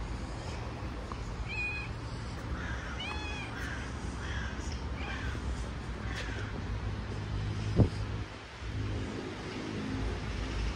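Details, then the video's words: Stray cat living on the street, mewing in a quick series of short, arched, high-pitched cries over a few seconds, set against constant low city hum and a sharp thud later. "Cute street cat"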